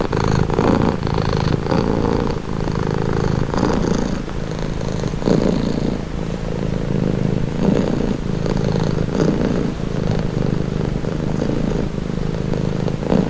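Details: Soothing purr from a pet cat, a low vibrating rumble with slow alternating breath phases, steady and close.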